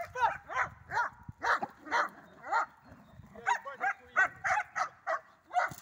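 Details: Belgian Shepherd during a training session with first releases, 31 March 2024: a rapid series of sharp, loud barks, about fifteen in six seconds, in two bursts separated by a short pause.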